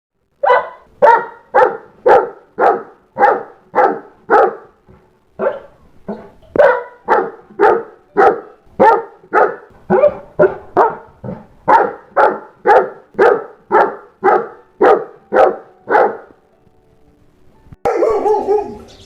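A Saint Bernard barks in a steady run of deep, full woofs, nearly two per second.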